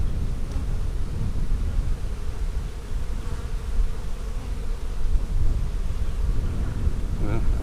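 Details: Honey bees at an open hive during an April 15, 2017 inspection of a split made March 4, with nectar-filled frames; a low, steady droning hum fills the recording, with a brief faint murmur near the end.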